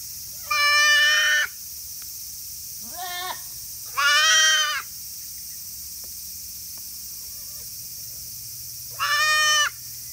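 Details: Baby goats about 40 days old, twin brothers born on 7 July, on a small hobby goat farm in Himi, Japan, on the day they got handmade name tags; three loud, nasal, wavering bleats about a second each, plus one shorter rising bleat.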